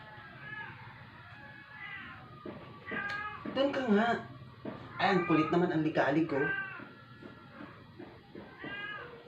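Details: Rescued stray cat kept indoors, dying after twelve days without eating, following a vet visit and vomiting at home; thin drawn-out meows open and close the recording, with a person talking loudly in between.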